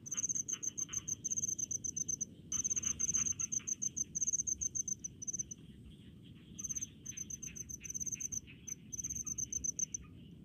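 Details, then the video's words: Rice-field cricket giving bursts of sharp, rapid chirps, each burst lasting about a second or two with short pauses, high and bright; a fainter lower insect trill and soft background rumble continue throughout. "SUARA JANGKRIK DI PESAWAHAN"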